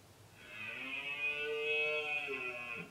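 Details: Rutting red deer in the Sierra del Relumbrar, Albacete, in October 2016, giving one sustained roar of over two seconds, rich in harmonics, holding steady and then falling away at the end.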